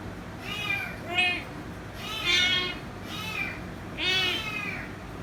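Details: Kitten meowing persistently for head rubs, with four or five shorter, rising-falling meows of varying length at irregular gaps over a faint steady background hum.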